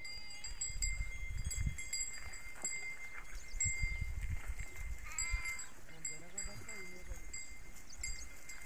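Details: Domestic sheep in a Telangana flock, untied by shepherds in the morning, give wavering, quavering bleats toward the end, amid low rumbling handling noise, voices and a steady high hum.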